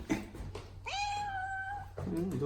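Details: House cat calling out as if wanting to say something: a single clear meow that rises briefly then holds level for about a second, with a person speaking softly before and after.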